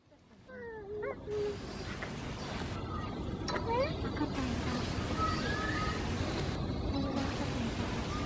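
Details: At Ueno Zoo, Japanese macaques, including the mother Hokuto and her baby born 29 April 2020, give several smooth, whistle-like coos that sweep up and bend down, some in quick short runs, over crowd hiss and faint voices.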